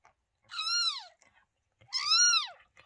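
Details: Mother cat that has just given birth to two kittens, recorded on 28 May 2023; two clear arched meows, each rising then falling, about a second apart, with faint rustling.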